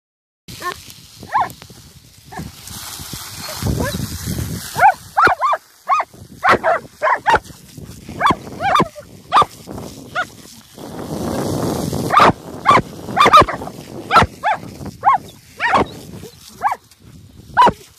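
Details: German Shepherds, Galypse and a big puppy, playing with a water jet outdoors: short, sharp barks and yelps in an irregular series, with hissing spray bursts in between.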